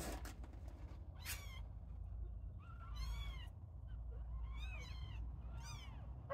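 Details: Small kittens at play, starting to climb, mew repeatedly: a short cry early on, then about four arched, bending mews at one-second gaps, over a low background hum and light rustles.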